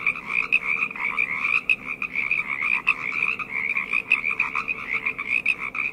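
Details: Loud nighttime frog chorus: many callers produce rapid, rattling croaks that swell and fade in quick pulses, the overlapping voices merging into a dense, rhythmic trill.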